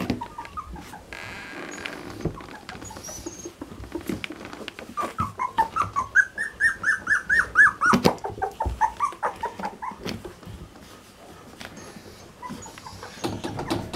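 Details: Standard Poodle litter at three weeks old, indoors on a rainy, snowy morning near their whelping box; after handling noises, a burst of quick high whimpering squeals swells in the middle, then fades back to rustling and clatter.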